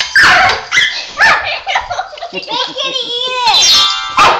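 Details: Kitty the pet dog, bothered by ringing bells, gives quick sharp barks and then a drawn-out, wavering whining howl that rises and falls. Faint bell chimes and a voice sound underneath.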